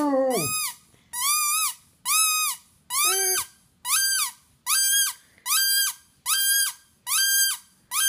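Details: Pet Basset hound Penny, aged five and a half, nearly bursts into her first howl. A steady run of high whining notes repeats about once every three-quarters of a second, with one lower, deeper note near the start.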